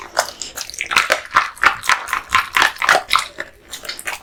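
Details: Male American Bully named Kotetsu chomping raw meat and bones indoors, fast crunching chews about four per second, moist smacking with a faint tonal squeak among the bites.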